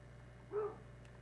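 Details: A lone short baying bark from the year-old hound Tracker, stirred by a scent in the woods; faint background hum.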